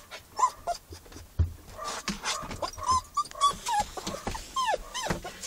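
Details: Max, a young Newfoundland-Labrador cross, is in a car during his first week home and dislikes being apart from his humans. Thin whimpers slide up and down, mixed with low rumbles and car noise.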